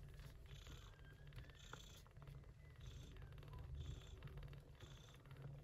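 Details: Short-haired Persian Chinchilla mother cat Yupi nursing kittens born in early September during a typhoon; continuous deep purr in gentle rhythmic pulses, with faint hiss-like high bursts at regular intervals.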